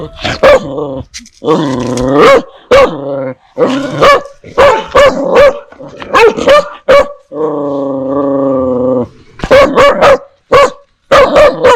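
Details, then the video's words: Dogs and puppies barking, fierce toward strangers and friendly toward familiar people. Bursts of sharp barks are interrupted by two long, sustained, droning growls, and clusters of barks close the sequence. "Âm Thanh TIẾNG CHÓ SỦA và CHÓ CON sủa | Sounds of DOGS and PUPPIES barking"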